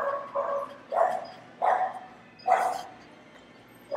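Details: Dogs barking inside a PetSmart store while a French Bulldog listens: loud, mid-pitched barks come singly, about every three-quarters of a second, with quieter indoor murmur between them.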